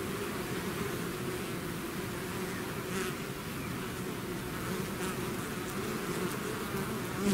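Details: Bees swarming out of their hive: a thick, unbroken buzzing hum from countless wings, low droning tones layered under airy hiss, with brief louder passes of individual bees near the end.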